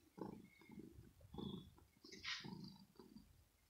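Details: Female kitten Rosetta, inside her scratching home, annoyed by a finger while playing and scratching, gives low rumbling growls in short pulses, with one brief breathy hiss-like burst in the middle.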